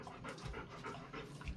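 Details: Golden Retriever resting indoors in a cool, air-conditioned room kept at 20 to 22 degrees, panting softly in quick, breathy puffs about three times a second, faint against a quiet room background.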